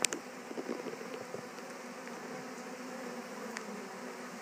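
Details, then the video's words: Western honey bees settling into a Warre hive right after being brought back from a swarm. A few quick taps and knocks open a continuous droning hum that stays even throughout. "Honey Bees just moved into a Warre bee hive"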